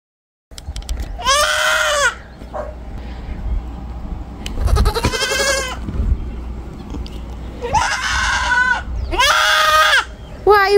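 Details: Three baby goat kids crying out in the morning as they are taken from their barn shelter on leashes: loud, quavering, arched bleats in repeated bursts, over rustling, low rumble and handling noise.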